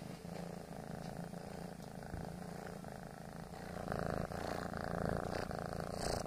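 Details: Kneading male foster kitten gives a rumbling, fast-pulsed purr that grows noticeably louder in the second half.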